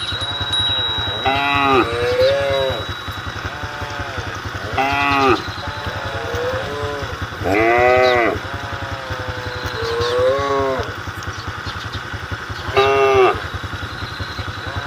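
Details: Cows calling their herd on a road, giving drawn-out arched moos in bursts about every three seconds. A motorcycle engine throbs continuously underneath.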